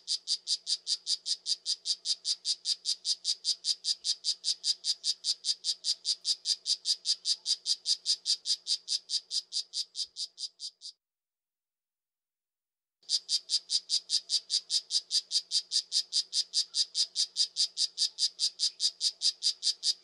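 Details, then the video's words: A poison dart frog gives a loud, evenly spaced series of sharp high chirps, roughly two to three each second, for about eleven seconds. After a two-second silence the same rapid pulsing train starts again at full strength. "5 popular poison dart frogs - call and sound"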